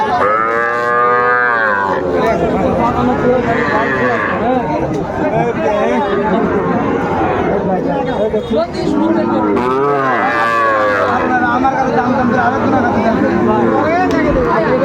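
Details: Sahiwal bull calf at a cattle market in Chapainawabganj, Bangladesh, on 19 September 2024, giving a loud, drawn-out harmonic moo for about two seconds at the start, then steady crowd chatter and nearby talking throughout.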